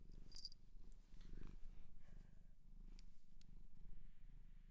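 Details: Domestic cat adopted from a shelter in Japan, purring indoors: a low, steady rumbling purr with even rhythmic pulses throughout, plus a few faint clicks and brief high ticks above it.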